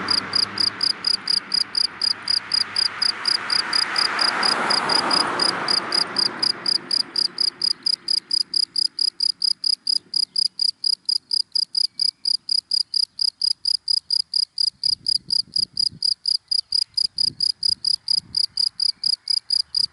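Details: Steady, rapid high chirps from a cricket in dry grass in the daytime, continuing without pause while a car passes early on and fades into quiet.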